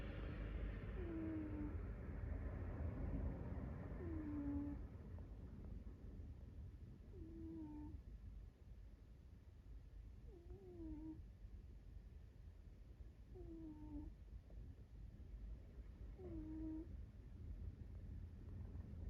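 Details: A sleeping American Shorthair cat snores softly. Each breath brings a brief whistling, falling nasal squeak, repeated regularly about every three seconds, six in all. A low rumbling background fades after the first few seconds.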